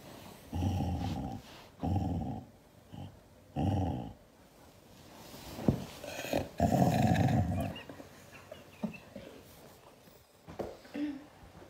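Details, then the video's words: Siberian Husky growling angrily in reaction to being hugged indoors: low, rumbling growls in bursts of about half a second, three close together, then a longer, louder grumbling growl near the middle, with softer whimpering noises and rustling after. "Angry Husky reaction to hugs"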